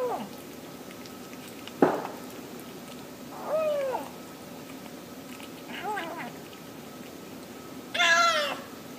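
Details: Domestic cat calling while eating: a sharp noise, then three separate short arching meows spaced a couple of seconds apart, the last one louder and brighter, in a quiet room.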